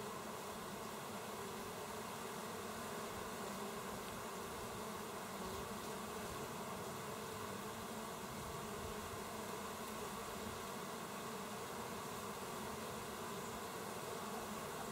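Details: Busy working bees, recorded 27 August 2024, make a continuous, even droning hum of many insects that holds unchanged for the whole stretch.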